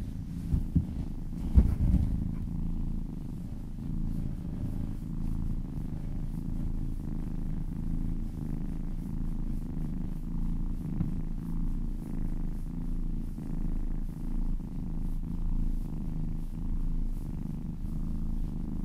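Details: Cat purring contentedly under massage, a long unbroken low rumble with gentle rhythmic swells, a short burst of handling noise near two seconds.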